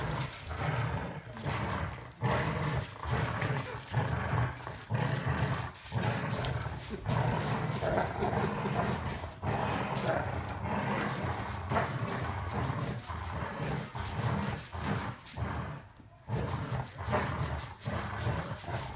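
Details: During a tug-of-war match between Golden Retrievers Winston and Roscoe, low throaty growls rise and fall in uneven bursts, roughly seventy pulses a minute, with short quiet gaps. A person then praises Winston.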